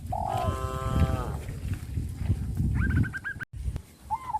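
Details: Tame traditionally kept village cattle in a herd calling to their companions in the countryside; one short moo of about a second, harmonic-rich and gently falling, then a quick chirping bird trill over a low rural rumble.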